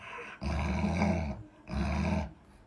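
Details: Alaskan Malamute named Luoluo, a pet dog at home: two low, rumbling growl-like vocal bursts, each about a second long, separated by a short pause.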